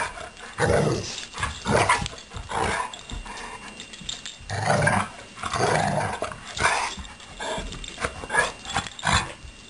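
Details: Two pet dogs, Blue and Suri, romping in play, Blue holding one leg up and not using it; rough, throaty growls come in uneven bursts with short pauses between scuffles.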